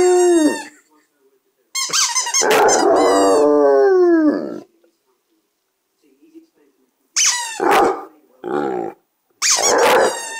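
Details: Two-year-old Basset Hound giving a loud, wavering howl with a harsh start and falling tail, followed after a silence by shorter yelping bursts and broken howls.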